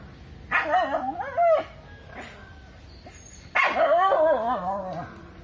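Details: A dog trying to send a monkey out of its area, with two loud, crying bark-howls about three seconds apart, each wavering and sliding in pitch before fading.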